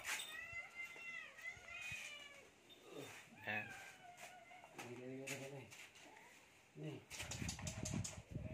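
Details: Cat at feeding time, a drawn-out high meow that bends down and then rises, followed by lower voiced sounds and a person speaking, with rustling and clattering near the end.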